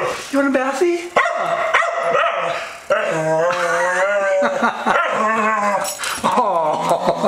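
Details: Two-year-old Staffordshire Bull Terrier Maverick, a female, objects to bath time with drawn-out, warbling moans and yodel-like grumbles sliding up and down, in several long bursts, as an owner's voice keeps urging her on.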